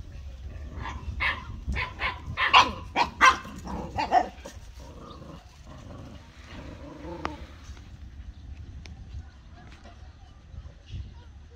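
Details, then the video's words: Household dogs bark in a rapid run of about eight loud, ragged barks over four seconds, then fall quiet with only soft rustling and a distant low hum. "My Dogs Barking || Dog Sound"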